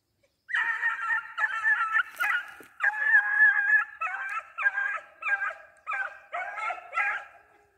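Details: Beagle trailing a hare, giving tongue in a steady run of ringing, harmonic bays, about eleven drawn-out calls in quick succession with short breaks between.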